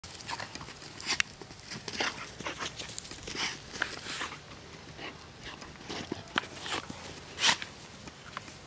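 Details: Two American Staffordshire terriers, Folke and Toddan, playing together: a run of short, harsh, noisy bursts and scuffling, irregular and rising to a loud sharp burst near the end.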